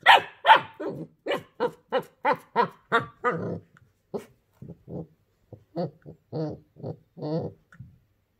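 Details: Daisy, a female puppy in her first week at a new home, barks at a new toy she dislikes; a rapid run of sharp yappy barks, about fifteen in eight seconds, the later ones lower and softer, indoors.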